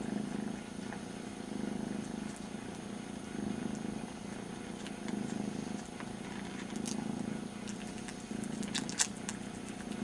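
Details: Very young kitten, missing its mother, licking its brother's ear as a substitute: a low, steady purr swelling and easing in breathing cycles roughly every two seconds, with soft wet licking clicks on top.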